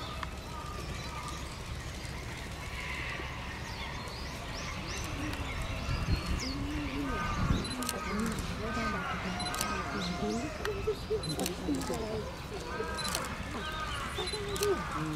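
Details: Giant panda Tantan at Oji Zoo on 19 January 2021, excited by falling snow, standing up and scratching, calls for a while: a run of arched, harmonic bleating notes repeated roughly every second in the latter half, over steady background hum and human voices.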